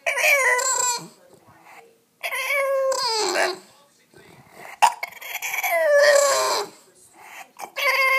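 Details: A 7-month-old male English Bulldog whines in drawn-out, wavering, nasal bursts, pleading to be let up onto the bed.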